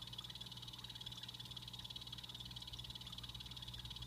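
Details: Captive blue-bellied poison frogs in a planted Exo Terra vivarium produce a sustained shrill pulsing buzz, slightly fainter, against a constant low mains-like hum.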